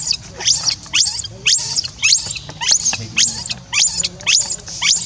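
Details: Crying monkey Rainbow, an orphan left by herself, gives shrill upward-sweeping squeals in a fairly even rhythm, close to two per second, each a piercing, thin screech.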